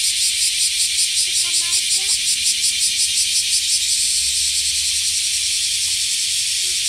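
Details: Cicada song: a dense, continuous high buzzing with a fast regular pulsing, steady throughout, with a brief faint tonal sound near the start.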